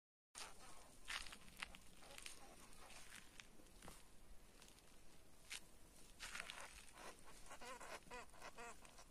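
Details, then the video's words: Field hamster (karbysh) caught by a cat, giving a burst of harsh, nasal squeals that rise and fall in quick succession near the end, over scuffling and rustling noise throughout. "Кіт спіймав карбиша😱 🐹 Кіт спіймав польового хом'яка"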